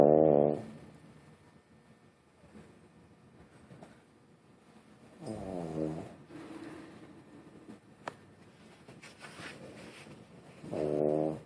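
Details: Dog snoring while asleep at camp: soft low rasping breaths through a quiet stretch, with louder nasal snores at the start, middle and end.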